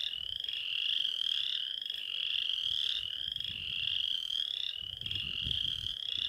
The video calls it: Chant de la Rainette faux-grillon